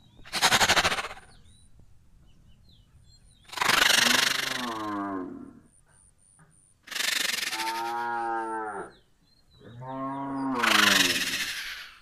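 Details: Gir cattle in India, filmed around milking: three long moos of two to three seconds each, with rich layered harmonics and a hoarse, falling tone, separated by pauses, along with bursts of broadband noise and faint high squeaks.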